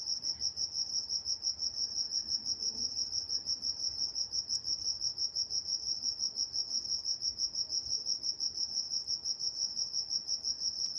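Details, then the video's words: Crickets at night in Walnut, California produce an unbroken, sharply pulsed high trill at about three beats per second; a couple of faint clicks stand out briefly. "Nature Sounds Night Time Crickets in Walnut, California"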